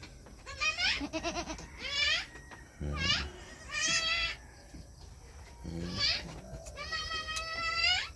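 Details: Goats on a farm where does are kidding, the fourth goat giving birth to a single kid: a series of loud, quavering bleats with rising then falling pitch, some higher and some deeper, with short pauses between, speech and music in the background.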